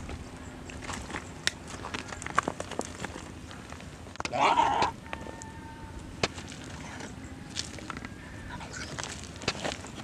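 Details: Goat attacked by a Komodo dragon in the hills of Komodo village, Komodo National Park, being eaten alive. One short, wavering, strained bleat rises midway through, set against rustling, scattered clicks and knocks, and a steady low background hum.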